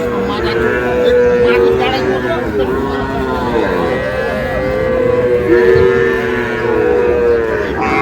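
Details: Sahiwal bull calves at Ambari haat, Dinajpur, Bangladesh, on Monday 11 May, as trading begins. Repeated long moos follow one another almost without pause, with market crowd sounds behind them.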